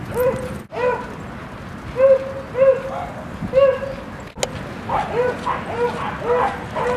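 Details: Rosy and Rocky, dogs playing at Seal Point Dog Park on the western side of San Francisco Bay, February 10, 2015: a run of short, clear, harmonic barks and yips, several per second, with brief pauses between bursts and faint background murmur.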